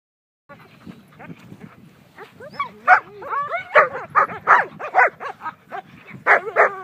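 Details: German Shepherd during protection work, barking in loud harsh bursts that start after low growling and rising whines, the barks coming quickly and irregularly, several in a row.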